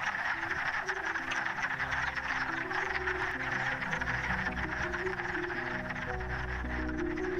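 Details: A dense chorus of male Wood Frogs calling for mates in a forest vernal pool on the first warm days at winter's end, their rapid clucking calls blending into a steady roar, over soft music.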